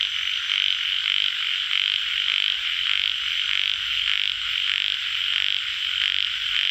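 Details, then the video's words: Tiger frog, also called yellow frog, calling in a loud, dense chorus: harsh, buzzy croaks pulse about every half second over a steady high hum from many frogs. "Frog sound- Yellow Frog call Tiger Frog"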